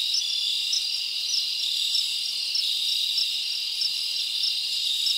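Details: Crickets in a summer forest at night, a dense high trill with distinct brighter chirps recurring roughly once a second over the continuous insect hum.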